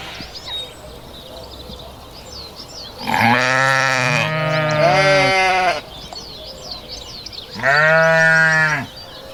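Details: Sheep bleating in two long, wavering, nasal calls, the first about three seconds with a quavering tremble, the second shorter and steadier, over faint background birdsong.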